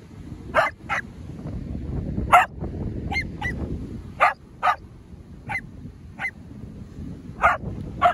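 Australian Cattle Dogs give sharp, insistent barks, demanding to be let into the water to swim.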